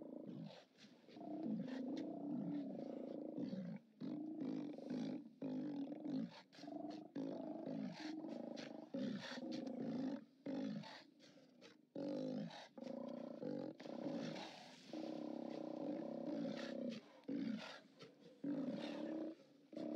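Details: Steller sea lions calling at their haulout on 29 October 2017, on a live camera: a dense chorus of low, throaty, overlapping roars pulses almost without pause, with brief dips between bellows.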